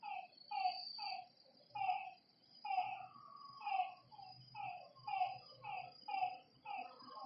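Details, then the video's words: Lakeside frogs at night giving short, rich, slightly falling croaking notes in regular pulses about once a second, some doubled, over a continuous high thin insect whine and a faint low rumble. "Lakeside night creatures and frog sounds"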